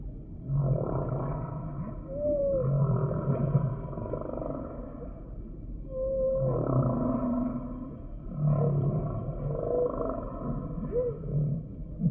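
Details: Humpback whale song in repeating bursts: low grunting moans layered with short gliding whoops that arc up and down, coming roughly every three seconds.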